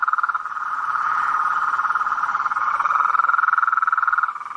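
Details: Nighttime swamp chorus of blacksmith tree frogs, a continuous buzzing pulsed trill at one mid pitch that swells and fades in waves before dropping away at the end.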